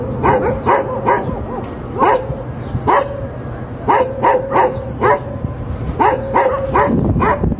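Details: Labrador retriever barking: about a dozen sharp, loud barks in irregular bursts, some doubled or tripled in quick succession, over a steady low hum that runs throughout.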